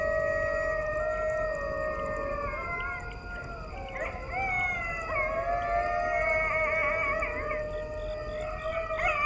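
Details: Several coyotes howl together at night in long, wavering tones with quick yips and breaks, near woods and a creek in the foothills of the Appalachians, northwest of Atlanta, Georgia, at about 1,060 ft elevation.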